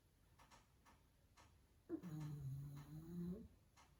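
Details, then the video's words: Pug dog fast asleep, giving one long rasping snore of about a second and a half with a low droning tone, soft ticking sounds before and after. "Cute Dog Sleeping & Snoring"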